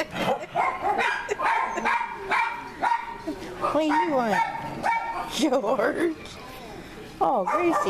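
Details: Ozman, a deep-voiced dog once slated for euthanasia as aggressive, wrestling and playing with his favourite person; wavy rising-and-falling yowls and short yips come in bursts, with people talking over them.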